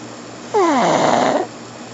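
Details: Pug snoring in its sleep: a single loud, one-second nasal snore that begins with a whiny, falling tone, then turns into a rough, steady rasp before fading, over a low steady hum.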